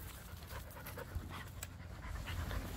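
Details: Eight-week-old Airedale Terrier puppies, four left in the litter, playing in San Diego, Southern California; quick breathy panting pulses over a low rumble of handling noise, with soft scattered scuffles and no voices in this stretch.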